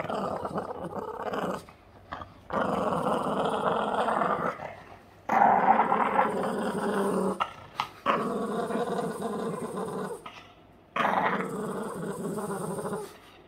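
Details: Boston Terrier Yoda growling as he plays, long continuous raspy growls lasting several seconds each, separated by brief silences, indoors.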